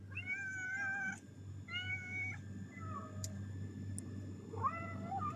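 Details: Domestic cats, one of three greeting their owner after a work shift in Qatar, meow while being fed indoors. Two clear, sustained, wavering meows are followed by shorter, softer ones, over a steady low electrical hum.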